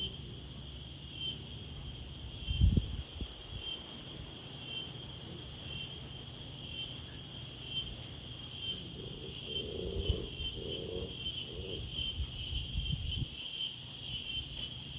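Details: Insects in daytime with wind: a steady high whine continues throughout, broken by low wind thumps and a brief run of soft mid-pitched tones near the middle.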